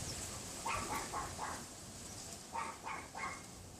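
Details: A neighbour's unseen Pomeranian, behind a wooden privacy fence, yaps in two quick bursts of high, sharp barks over steady wind noise on a windy afternoon, 6 February 2015, around 3:18 PM.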